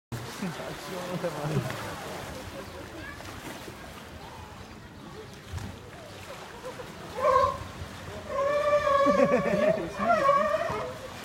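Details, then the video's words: Sea lions in Basel give hoarse, wavering honks near the end, with people talking and water splashing. "sea lions make funny sounds"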